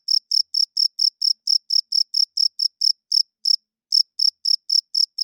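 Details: Cricket calling at night, a male's wing-rubbed chirp for attracting females and establishing territory; rapid shrill pulses that slow and space out midway, pause briefly, then return at the earlier quick rate; quiet surroundings.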